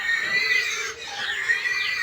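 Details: Pigs on a backyard farm: a newly farrowed sow with 25-day-old piglets. Steady, high, whiny squealing carries a tonal edge and runs unbroken for about two seconds.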